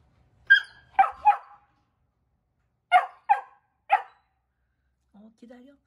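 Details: Max, a four-month-old mini labradoodle puppy playing in a muddy flower bed: six short sharp barks in two bursts of three, then a faint whine at the end.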